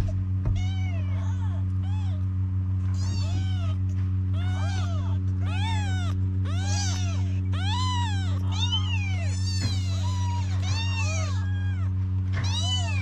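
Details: Hungry stray kittens in Morocco wail for Mama the Cat to come nurse them. A dense, nearly continuous stream of piercing arched meows overlaps, with some calls sliding lower, above a steady low hum.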